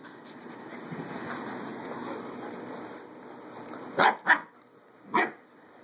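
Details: Adoptable puppies playing; after several seconds of steady background hiss, three quick, high yapping barks burst out near the end.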